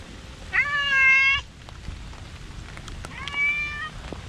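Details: Park cat out in the rain, including Komugi making a strong appeal on a bench: two drawn-out harmonic meows, the first long and steady, the second shorter and softer, over patter of raindrops.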